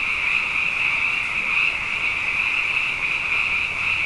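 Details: Frogs grown abundant through two wet years sing after dark in a thick, steady mass of high trilled calls, overlapping so closely that no single voice stands apart.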